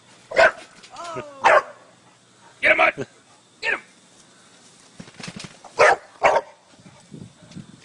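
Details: Dog playing on a trampoline, giving short sharp barks spaced a second or so apart, with people urging it on with speech and encouragement between the barks.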